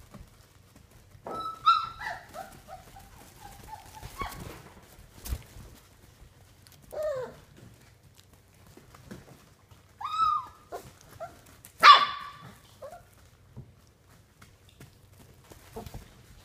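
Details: Puppies at play on day 32, giving high whining yelps and short yips in scattered bursts, some rising then falling, with quiet gaps between; a person's voice follows.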